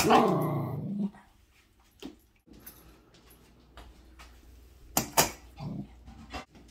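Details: A Sheltie puppy indoors at dinner time, warning the household cats away from her food: a loud rough growl with a descending harmonic sweep opens, followed by scattered soft clicks and two sharp bursts near the end.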